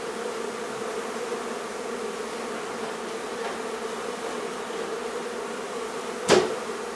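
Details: Honey bees from a hive being removed from a barn in La Feria, Texas, in the midday heat: a steady, dense, low droning hum holds throughout, broken near the end by one sharp knock.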